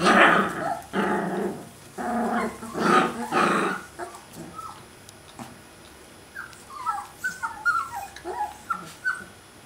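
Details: Alaskan Malamute puppies outside the whelping box, recorded in 2012: several loud rough growling bursts in the first four seconds, then a string of short high rising-falling whines and yelps.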